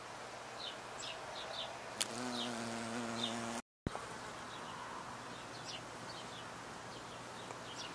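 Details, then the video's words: Bees, honey bee and bumblebee, with a low droning buzz rich in harmonics swelling for about a second and a half midway, a brief silent gap, then faint background hiss with soft high bird chirps scattered throughout. "Honey Bee and Bumblebee bumble-bee !"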